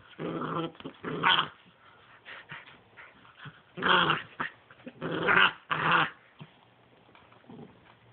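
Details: ['Two 10-week-old pit bull puppies, a brother and sister, play fighting: bursts of low rough growling and snarling, several short loud growl pulses separated by quieter gaps.']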